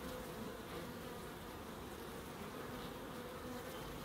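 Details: Bees in a small Crookes wildlife garden give an unbroken, level humming buzz with layered low tones, set against soft broadband outdoor noise.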